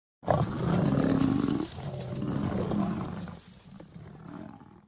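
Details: Lion eating a buffalo, giving a deep, rough, drawn-out growling roar that holds strong for over a second, then trails off in lower rumbles.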